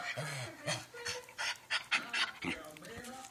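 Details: A six-month-old Olde English Bulldogge puppy panting: quick, breathy, uneven puffs about three or four per second, with faint whining tones in between and a person speaking briefly at the start.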